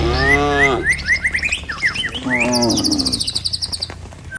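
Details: Herded cattle on a village lane heading for trucks and a pen give a long, steady moo followed later by a shorter, lower one, amid busy bird chirping and faint background rumble.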